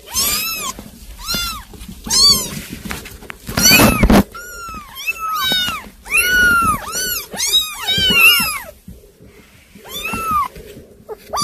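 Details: A group of hard-to-control kittens meowing almost continuously: high, arched, harmonic cries, often two or three overlapping, in bursts of about half a second, with a brief rustling thump midway.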